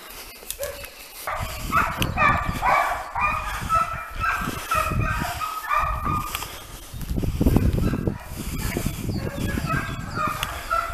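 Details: Segugio Italiano hounds in training on hare, a pack baying together in overlapping tonal, drawn-out cries with rich harmonics, rising and falling over steady low rumbling outdoor noise.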